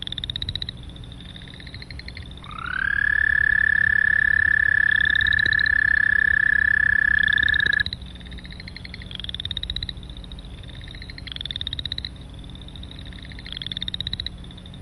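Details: Long, loud and monotone trill of an American toad, starting with a short upward slide and then holding one steady pitch for about five seconds, surrounded by a chorus of shorter, higher pulsed frog trills before and after.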